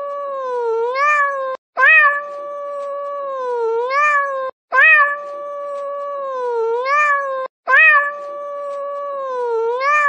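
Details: A domestic cat meows repeatedly, each cry about three seconds long, loud at the start, then a level drawn-out tone that rises and falls before stopping abruptly. The cries come every three seconds after short silences.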